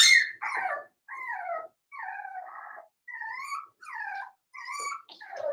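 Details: Five-week-old Cavalier King Charles Spaniel puppies in Daisy's indoor puppy pen, whining in a steady series of high, wavering cries, each about half a second long with short pauses between them.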